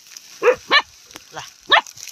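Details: Angry puppy giving short, high, yappy barks, three clear ones within two seconds with a softer yelp between, over a faint background hiss.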